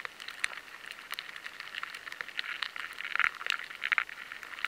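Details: Rice weevil; larval scraping; larvae feeding by scraping inside grain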